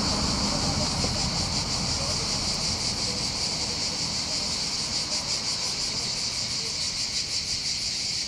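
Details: Chorus of cicadas on the heights over Bandol's port, Var, Mediterranean coast of southern France: continuous shrill, pulsing buzz dominating, with a low rumble of sea, wind and faint voices beneath.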